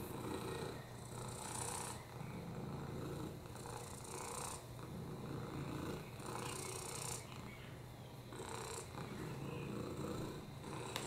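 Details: Oliver, a rescued lap cat with a broken hip, upper respiratory infections and FIV, purring steadily on a lap: a low continuous rumble, swelling into breathy hissing bursts roughly every two to two and a half seconds.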